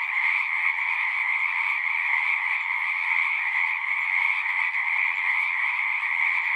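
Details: A constant massed chorus of frogs, many voices trilling together into a smooth, steady hum split between a high band and a lower band, level and uninterrupted across the whole stretch.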